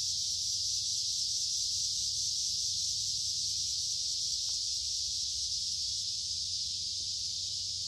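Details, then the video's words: Along a woodland creek in the middle of summer, numerous cicadas keep up a constant, high, sizzling buzz on a humid, warm day. A few faint clicks sit beneath the unbroken drone. "Walking along a Creek with lots of Noisy Cicada Insects Singing in Summer"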